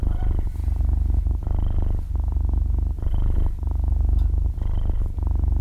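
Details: Young kitten, about six months old, purring while dozing and kneading: a rich low vibration in breath-long bursts about every one and a half seconds, each separated by a brief hush, recorded very close in stereo.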